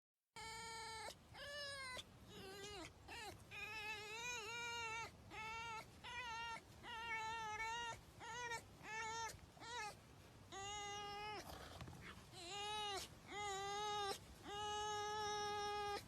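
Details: A pet red fox being petted by its owner gives a steady run of high, nasal whines and squeaky yelps, some drawn out and wavering.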